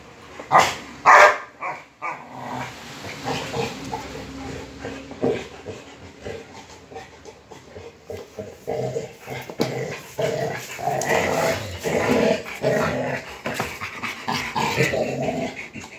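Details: Rottweilers tussling over a motorcycle tire: two loud sharp bursts near the start, then a long run of rough, noisy scuffling and growl-like sounds with rustling of plastic throughout.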